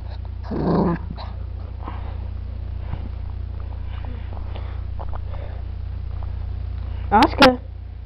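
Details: Maltese puppy at play. A short, low, rough growl comes early, then faint scuffling. Near the end come two quick, high, sharp yips, all over a steady low humming background.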